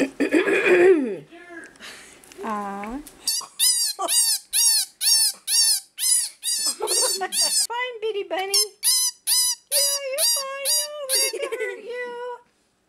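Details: A small pet bunny squealing after being scared, recorded in 2015; a woman's soothing speech first, then a run of rapid high, sharply rising squeaky cries repeated about twice a second, ending in lower whiny calls.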